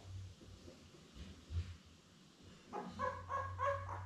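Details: Labrador Retriever litter of seven newborns, born May 24, 2021, with mother Belle, filmed on a live puppy cam on June 3. After soft shuffling, a puppy gives a run of four or five quick, tonal, wavering whines, with a low hum beneath.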